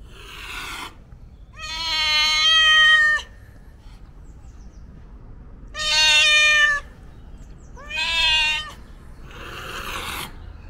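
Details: Homeless cat meowing loudly on 31 March 2021, captured with a DJI Osmo Pocket 3: three long, strained, harmonic meows of about a second each, separated by quiet pauses, with breathy, hissing exhalations at the start and end.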